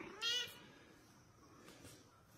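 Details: Mother cat asking for her kitten: one short high meow at the start, then quiet room noise.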